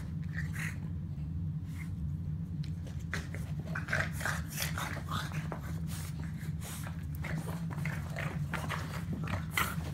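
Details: Boston terrier at play, giving short breathy snorts and grunts in irregular bursts, a few with a brief tonal edge near the start, then a rapid cluster of noisy puffs, over a steady low droning hum.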